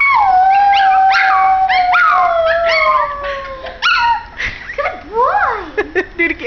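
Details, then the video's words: Young male white Pomeranian howling along with his owner indoors: a long falling howl with overtones, then shorter rising and falling yips and wavering cries, mixed with a person's howling voice. "White Pomeranian howling with family"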